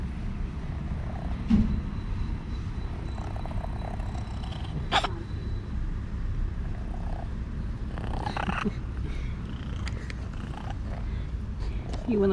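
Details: Orange kitten by the stairs purring loudly while asking to be petted; continuous low rumbling purr like a tractor throughout, with a few soft taps and rustles from handling.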